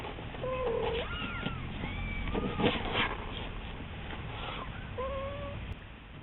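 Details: Domestic kitten calling in a thin, fragile voice, crying for its owner to come home; several short wavering mews, some bending up then down, others low and flat, with a faint household background.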